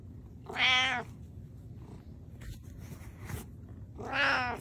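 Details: Pet cat meowing twice, each a drawn-out, rising then falling harmonic meow about half a second long, separated by a quiet gap with faint rustling.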